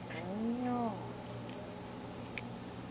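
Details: Cat uttering a single short, low, arched call that rises and falls within half a second, over a steady electrical hum and quiet room noise.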